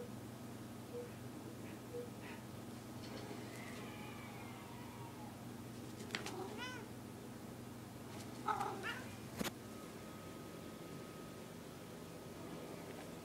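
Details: Pet cat giving a clear arched, rising-then-falling harmonic meow midway, followed by a brief, higher, strained mew and a sharp knock, against a constant low household hum.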